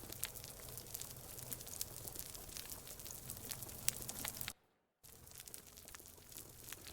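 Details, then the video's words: Underwater on a heavily overfished reef near a marine protected area in the Philippines, snapping shrimp make a dense, steady crackle of sharp clicks, like frying fat, with little else heard, unlike the fish croaks and pops of a healthy reef. "you can hear snapping shrimp but that's about it"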